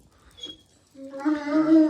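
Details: Jack Russell Terrier indoors during a live broadcast: after a near-silent second, a sustained, steady, tonal whine begins at about one second, rich in harmonics, holding one pitch and growing louder to the end.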